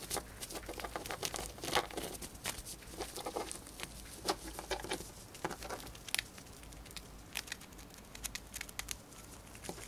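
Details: Dried corn being eaten by a female pet hamster: dense, rapid crunching and clicking, many sharp dry bites closely spaced throughout, with a soft steady hiss beneath.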